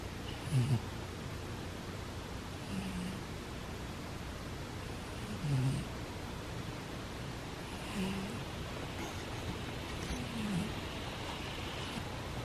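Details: Sleeping pet cat named Butters snoring softly, a faint low breathy snore recurring roughly every two and a half seconds, five in all, over a steady quiet room hiss.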